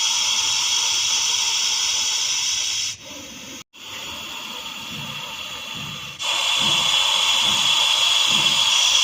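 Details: Russell's viper in Vapi city hissing: a loud, harsh, airy hiss for about three seconds, a softer stretch after a brief silence, then another strong sustained hiss to the end.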